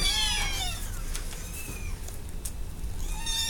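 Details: Cat letting out a short falling meow, then after a pause of a few seconds a fainter rising one begins, over steady low background hum and a few clicks.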